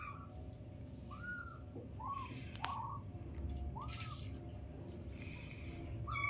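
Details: Tiny newborn kittens with their mother cry in soft, rounded, whistle-like mews spaced a second or so apart, against a constant low hum and faint background rumble.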